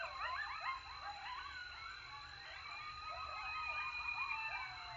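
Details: Coyotes in Texas howl after a successful hunt, calling while eating: a pack chorus of quavering howls and rapid yips wavering up and down in pitch.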